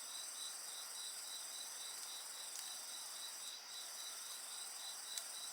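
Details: Chorus of insect voices with a crackling bonfire: rapid evenly spaced chirps around 4k, roughly four per second, layered under constant high-pitched ringing trills and occasional sharp pops from the flames.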